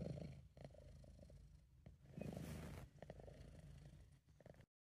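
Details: Relaxed British Shorthair cat purring, amateur recording. Low rumbling purr with a brief louder noisy rustle in the middle, then the purr continues before the sound cuts off abruptly.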